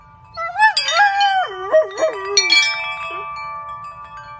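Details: Golden retriever singing along to wind chimes, its wavering howl sliding up and down in several bends over two seconds, while bright ringing chimes sound together and linger as sustained tones afterward.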